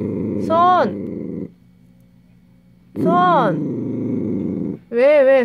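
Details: Dachshund guarding a dog chew indoors, growling fiercely: harsh rumbling growls break into rising-falling whiny yowls, three bursts across the clip separated by a quiet gap; a woman's voice talks to the dog nearby.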